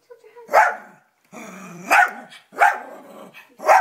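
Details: Indoor pet dog reacting to his own image on a television, giving four loud sharp barks spaced roughly every second, with softer background sounds from the screen between them.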